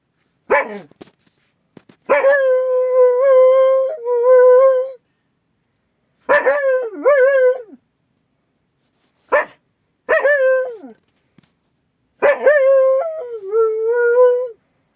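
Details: Akita guard dog on watch over a strange noise outside, howling in repeated bouts: sharp bark-like onsets run into sustained, slightly wavering howls, five or six outbursts over fifteen seconds with quiet gaps between.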